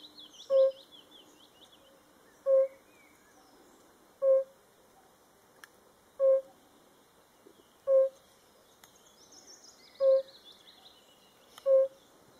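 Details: A yellow-bellied toad calling in Hungary gives soft, mellow hooting notes, one roughly every one and a half seconds.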